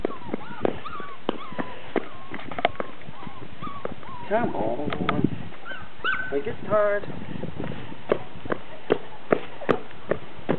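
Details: Four-week-old poodle puppies chasing a pan give short, high, wavering whimpers and yips in a few bursts, amid rapid tapping clicks of paws and a man's encouraging voice calling them on.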